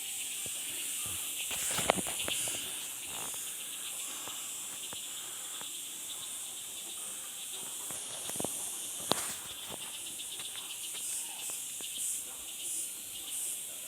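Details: Outdoor insect chorus forming a steady, high, hissing drone that holds unbroken throughout, with scattered soft knocks and rustles in the background.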